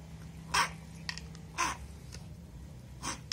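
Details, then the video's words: Hungry one-eyed blind street kitten asking for food at about 3 am, giving three short, strained, hoarse meows spaced over three seconds against a steady low hum. "Hungry one eye blind street kitten asking for food at about 3 am"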